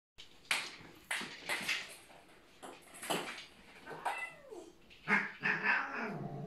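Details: Bengal cat Yuki settling the rank order with another cat and asserting herself as the new boss indoors: sharp broadband hissing bursts recur about every second, then a falling meow-like cry and a harsher wailing call near the end.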